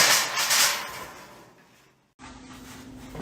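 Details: Engine and vehicle noise indoors, with a sliding door or cupboard sound, a brief silence, then a steady low hum; no animal voice is heard.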